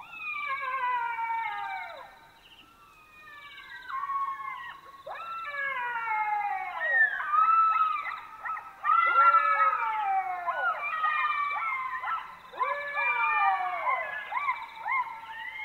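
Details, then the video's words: Several Black-backed jackals howling together in chorus at night in Botswana, overlapping wailing calls that climb and then fall sharply, crowded one on another in a dense, continuous bout with little pause. "Jackal Sounds - Howling & barks of Black-backed Jackals at night in Africa"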